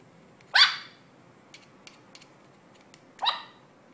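A Yorkshire Terrier puppy gives two sharp, high-pitched yaps about three seconds apart.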